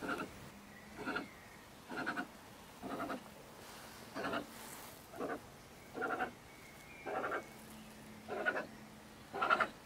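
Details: Stone marten female in Germany, living in a stack of wood by a shed, in a bad temper at night around 10 pm: rough rasping screams repeated about once a second, some ten in a row.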